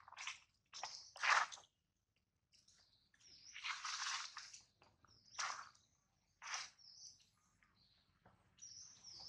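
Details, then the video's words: Baby monkey named Adler, held by a small monkey, cries because he misses his mother and is hungry: sharp high-pitched squeals in short bursts, with longer harsh screeching cries, separated by brief silences. "POOR BABY MONKEY CRYING IN HANDS OF SMALL MONKEY BABY MONKEY ADLER MISSES HIS MOM AND HUNGRY"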